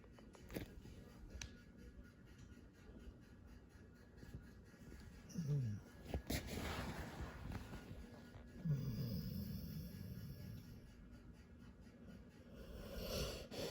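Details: Mak, a dog napping in a house in Royal Palm Beach, Florida, snores and dreams; two low, rough snorting breaths stand out near the middle, with soft rumbling breathing and faint clicks in between.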